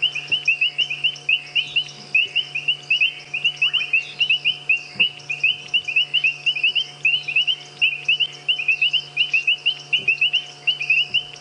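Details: A chorus of painted reed frogs (Hyperolius marmoratus) gives sharp, metallic, high-pitched chirps at mud wallows near a road on a sunset safari drive, 13 March 2017; popping bubbling kassinas are mixed in.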